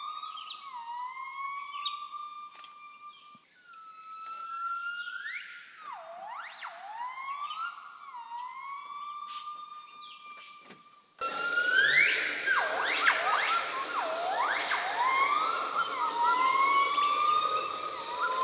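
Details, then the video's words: Gibbons singing from the top of a tree crown in Laos, two animals present, recorded in 2013: rising whooping notes climbing to high sliding wails, alternating with long steady whistled tones around a flat pitch, a cuckoo interfering. "Кукушка мешалась в пении гиббонов. Репертуар закончился, очевидно."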